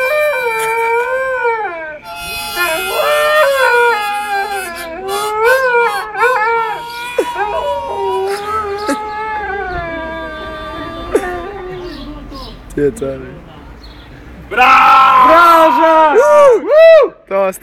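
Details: Dog and man singing together in Bovec, Slovenia: overlapping wavering, sliding howls blend with human singing, followed by a louder burst of rapidly wobbling, swooping tones near the end.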